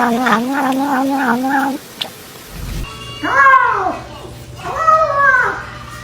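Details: Cat making strange noises while eating: a run of short pulsing warbled meows, then two longer arched yowls that rise and fall, with background music throughout.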